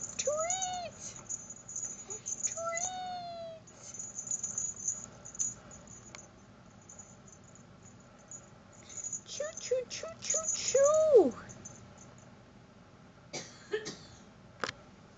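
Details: Seal lynx point Siberian kitten indoors on a stool: several short, thin, rising-and-falling meows scattered among rattling and clicking sounds, with a persistent high electronic whine in the background.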